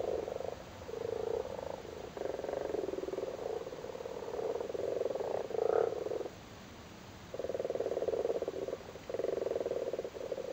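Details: Male frogs spawning in a flooded cattle grid in Cork, Ireland, in spring: continuous low rattling purrs in long overlapping runs, broken by short pauses, a chorus of several frogs.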